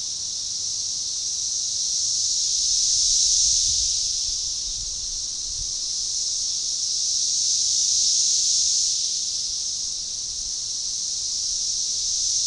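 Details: Periodical cicadas, Magicicada tredecassini, singing a synchronized chorus at a forest edge near DeValls Bluff, Arkansas, on June 7, 2015. A continuous shrill buzzing wall of sound rises and falls in slow waves about every five seconds.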